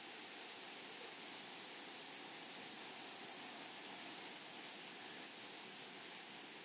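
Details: Flowery meadow grasshoppers give a rapid series of sharp, high buzzing pulses, regularly repeated, with one brief brighter chirp midway through against a low outdoor hiss.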